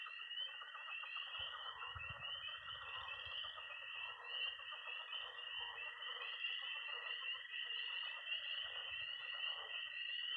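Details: Early spring night at a pond in Missouri, tree frogs, toads and pond frogs together: a thick wall of shrill peeping and steady high trilling, lower croaks underneath, and faint low rumbles early on.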